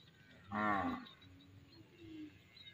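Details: Cattle from a huge village herd walking home past the edge of the fields. A single moo of about half a second has a rich stack of harmonics, followed by faint, thinner lowing over a steady background hiss.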